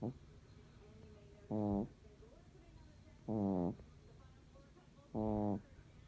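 A Shih Tzu snores in short, throaty, buzzing bursts, each about two seconds apart.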